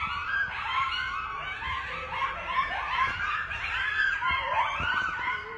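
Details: A pack of at least ten coyotes at night, heard from a house deck, howls together in wavering, rising and falling wails mixed with quick high yips; Coyote.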